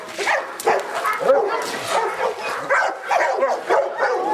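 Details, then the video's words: Presa Canario male barking during a protection work test, tested by the club's judge: rapid, harsh barks in dense overlapping bursts, several each second, with busy background noise and possibly voices. "Presa Canario trabajo"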